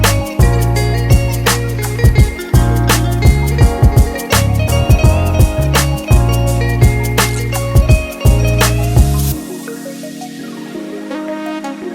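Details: Loud electronic music with a heavy bass beat plays throughout, and no animal sound is heard.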